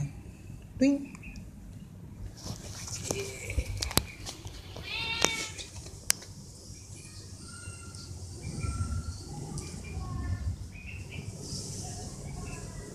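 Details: Stray cats fed vegetable rissoles, meowing for food; one rising, harmonic meow at five seconds among sharp clicks and taps, with soft speech and a low background hum.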